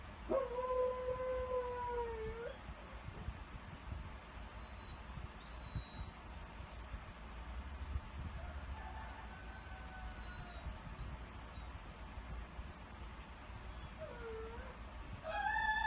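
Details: Bela the dog gives a rooster-like crowing howl, a wavering tonal note that dips near the end and lasts about two seconds. Quieter drawn-out tones follow over steady background hiss, and a new howl begins at the close.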